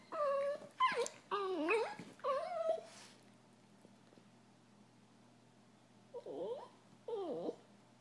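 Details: Two Italian Greyhound brothers disagreeing grumble and whine at each other in short, wavering, rising-and-falling bursts of annoyance, seemingly in a bad mood.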